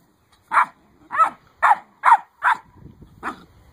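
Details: Great Dane puppies eight weeks old, one giving a string of six short, high yipping barks about half a second apart, each a clipped bright burst, with soft rustling between them.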